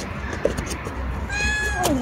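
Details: Domestic cat meowing while eating: a short tonal cry that bends sharply downward at the end, over a background of chewing and handling noises.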